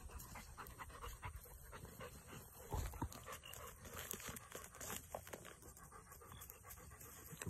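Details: Webfoot retrievers, Tugboat and his puppies, by a pond; steady breathy panting, quick even bursts of airy hiss repeating throughout with a brief louder thump near the middle.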